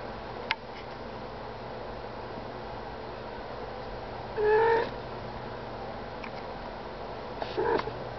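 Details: A nursing mother cat named Minnie, with month-old kittens feeding on her, makes two brief tonal calls a few seconds apart, steady and mid-pitched with harmonics. A quiet indoor background holds a faint hum and a few clicks.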